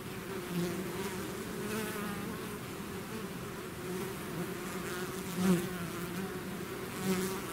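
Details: A swarm of bees leaving its hive fills the air with a thick, steady hum, individual bees passing close and briefly swelling louder over the constant droning mass.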